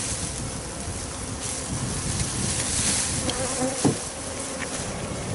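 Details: Japanese honeybee swarm of perhaps thousands, captured while swarming and kept in a discarded cupboard: loud steady droning hum of countless wings, even in volume, with one brief knock near the end.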